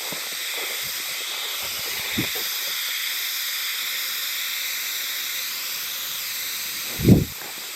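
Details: High, unbroken insect hiss from a chorus of Hime-harusemi cicadas, Yamaguchi Prefecture, Japan, 19 July 2022, singers not seen; two dull low thuds break in, one early and a louder one near the end.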